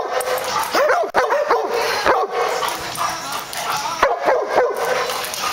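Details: Two retrievers playing together, producing short arched yips and whimpering whines in clusters around the first and fourth seconds, between steady rough growling and scuffle noise.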